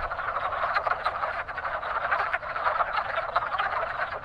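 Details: Spring breeding chorus of wood frogs at a very active pond: countless short, hoarse quacking croaks overlap densely, pulsing slightly in intensity.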